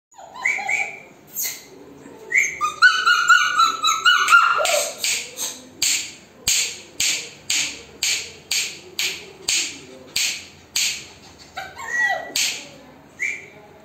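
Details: German Shepherd puppies in Chennai, offered as available: high whining cries open, then a fast run of sharp, bright yips roughly twice a second, with a few more rising whines near the end.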